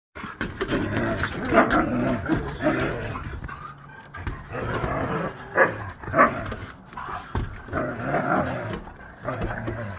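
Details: A mother Husky in a fight gives rough, snarling growls and scuffling noises in rapid bursts, harsh and broadband throughout, with people's voices faintly mixed in.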